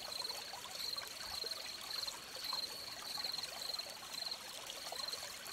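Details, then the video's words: Beside a trickling stream, crickets give high, thin chirps in short bursts with uneven gaps, set against the broad rushing hiss of water. "Crickets by the Stream"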